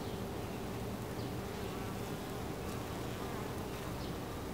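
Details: Many honey bees buzzing at a hive entrance: an even, low, steady hum with faint passing wingbeat whines.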